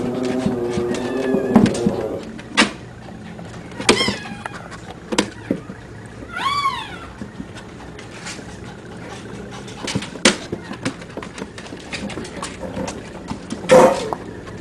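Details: Puppies three weeks and four days old with their mother Dada, recorded 27 December 2010, giving scattered short squeaks and high whimpers, one clear wavering whine near the middle, over a steady low hum and soft clicks.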